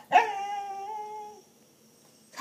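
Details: English Cocker Spaniel pet, asked to sing, gives one steady, tonal howl with rich harmonics lasting over a second before fading, and a person's voice follows.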